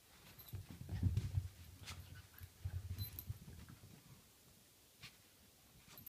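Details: Playful wrestling between Jeffrey the Dachshund and Otto in a small room: a dense run of deep, throaty growls and huffs in the first half, easing off into quieter breathing and a last faint grunt.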